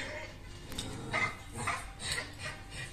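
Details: West Highland white terrier barking indoors while watching the film "Dog", reacting to it with a few short, sharp barks spaced about half a second apart, over the film's dialogue and soundtrack playing in the background.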